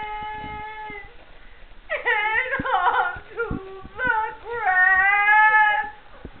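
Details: Backyard breeder kennel Siberian huskies make whimpering, sliding cries that swoop downward, mixed with quavering howls, growing louder and more sustained toward the end of the six-second stretch.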